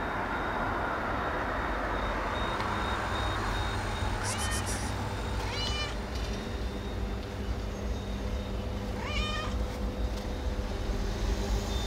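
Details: Lonely street cat meowing on the street near a grocery store, as it does every morning: three separate rising, tonal meows, the last one clearest, over a steady low rumble of traffic and a faint high electronic whine.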